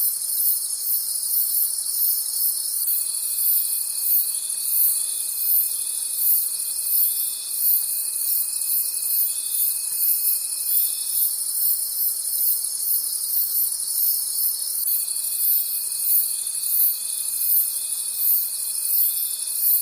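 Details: High, shimmering chirps of crickets in a forest at night beat steadily about three times a second. A level whistle-like tone enters near three seconds, stops around eleven, then resumes at fifteen.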